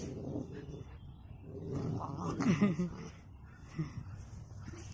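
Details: A Rottweiler, possibly a puppy, growls low and rough during a fight, with short harsh bursts rising through a rumbling snarl.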